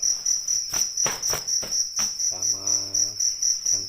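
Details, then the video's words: Crickets in Indonesia, a rice-field cricket and a fighting cricket, giving a shrill, high, steady pulsed chirp about four pulses per second, with a low, voice-like hum partway through. "Suara Asli jangkrik Ngerik"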